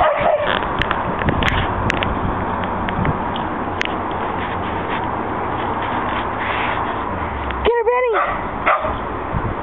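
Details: Dog chasing about in a back yard, happy after a good walk, lets out one loud, sharp bark with a stacked ringing tone near the end, then a softer short yelp, over constant rushing background noise and a few faint clicks.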